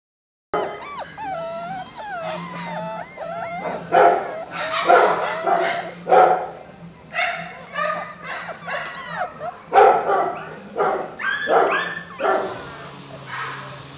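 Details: Several Beagle puppies calling over one another: high, wavering whines and yips that slide up and down, broken by short sharp barks in irregular bursts, with stretches of overlapping cries throughout.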